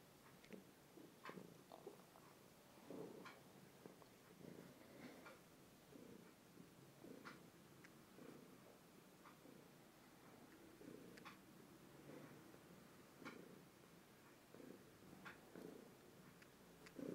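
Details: Tishka, a two-year-old, overweight pet cat, purring indoors, recorded on a phone: soft rumbling pulses repeat roughly every second across the whole stretch, with faint clicks and rustles above, no voices.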